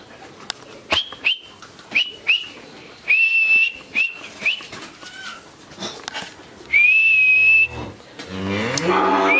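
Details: Thirteen-month-old Friesian heifer calf from Pabna, Bangladesh, calls repeatedly in short, thin, high nasal bursts, some clicking noises between them, then a longer held moo near the end.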